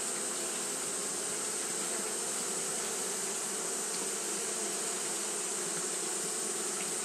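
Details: On a hot day, Japanese honey bees keep up fanning behaviour, making a dense continuous buzz: a low drone layered with airy hiss, with no pauses or changes.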